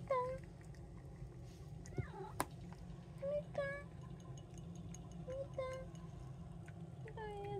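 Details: Domestic cat indoors, one of three household cats (brown tabby, short-legged Munchkin, Abyssinian), giving several short rising-then-falling meows spread across the recording, with people talking nearby and a steady low hum throughout.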